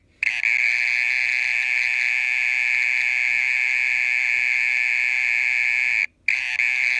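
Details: Mole cricket calling in the middle of the night, said to keep going for over thirty minutes: a steady, unbroken high buzzing trill with bright overtones, briefly cut off near the six-second mark before resuming just as evenly.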